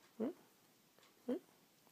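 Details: Yorkshire Terrier named Mikie, a pet waking up in the morning indoors, gives two short, tonal, bending whines or grumbles about a second apart in a quiet small room.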